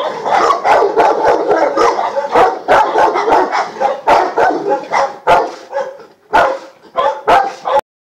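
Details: Yaconda, a Presa Canario at Faro de Maspalomas, barks hard and continuously in harsh, throaty bouts that grow choppier toward the end, then stops abruptly into silence.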